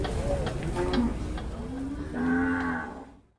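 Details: Cattle at the Muntilan market, Indonesia, giving a long, even moo that swells and then fades, preceded by softer bellows and background voices before the sound cuts to silence.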